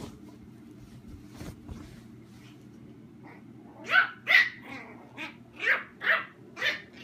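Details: Playing indoors, a chihuahua puppy named Royce romps with Sophia, a mini German shorthaired pointer; after quiet rustling, about seven short, sharp, high barks come roughly every half second in the last three seconds.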